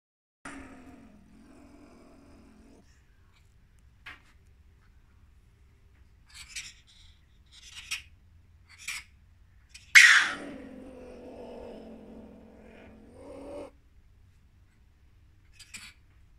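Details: A marten, possibly one caught in a trap, gives two drawn-out, nasal moaning calls, the second opening with a harsh burst.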